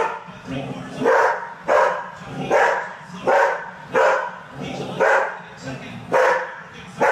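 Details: Poodle excited while watching a horse race on TV, giving loud sharp barks in bursts roughly every 0.7 seconds, about nine in a row, with the race commentator's voice from the television running underneath.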